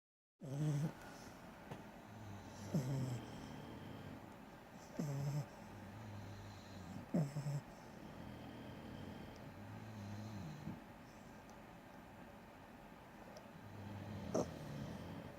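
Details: A French Bulldog snoring: low, rasping snorts with a sharp nasal catch, repeating roughly every two to three seconds, with softer rumbling breaths between them.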